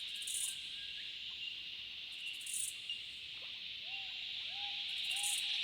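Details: Cicadas in the Australian bush in summer keep up a dense, high, unbroken droning buzz, calling in chorus with sharper shrill surges about every two seconds.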